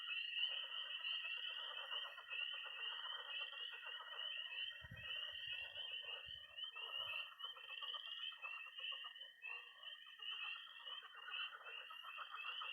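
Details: Night chorus of tree frogs, toads and pond frogs in early spring in Missouri: a dense continuous high peeping band, a steady trill beneath it, and rapid pulsed croaking lower down, with a brief low thump midway.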